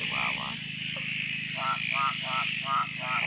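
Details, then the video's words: Frogs calling at a dam near Drake at night after days of rain; a nasal, buzzy call repeated in quick pulses about every 0.4 seconds over a steady high chorus, with people talking quietly. "Frog chorus after the rain"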